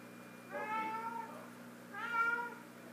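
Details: Sofie, a female pet cat, meows while busy with her sock toy: two drawn-out, harmonic meows, each under a second, the second slightly higher and brighter, over a faint steady indoor hum.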